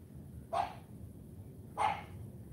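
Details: Female AKC champion Cane Corso puppy CHARME trained to bark each morning: two separate short barks roughly 1.3 seconds apart, with quiet low hum between.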